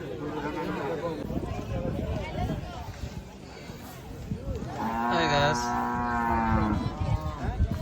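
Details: Cattle at a busy cattle and goat market on the Dhanpati Khola Primary School field; after a stretch of crowd talk, one long, rich, droning moo swells for about two seconds, then fades back into voices and footsteps.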